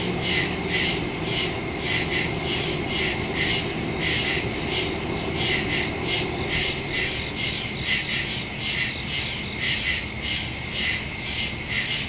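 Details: Nighttime crickets in the woods, recorded September 2, 2023 with a smartphone and stereo mic; fast, overlapping high chirps pulse continuously in a thick chorus, set against a constant low-frequency hum.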